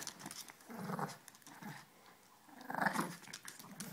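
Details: Two playing puppies, Ella and Duke, let out two rough growling snarls, one near the start and a louder one near the end, with a quieter pause between them.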